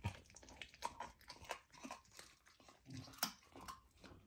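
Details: Golden retriever puppy trying raw lamb for the first time; close, moist crunching and biting with sharp clicks between softer gnawing, uneven rhythm, quiet indoor room.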